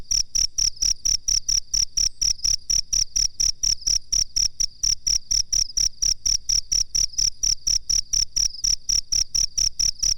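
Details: Master recording of a cricket, intended for training birds, with sharp high-pitched chirps in a continuous regular series, roughly three per second, and no other clear sounds.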